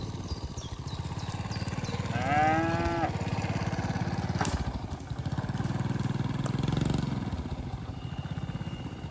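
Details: Grazing cattle in a green field: a clear, slightly falling moo lasting about a second, a fainter low lowing later, a sharp click between, constant low engine-like rumble underneath.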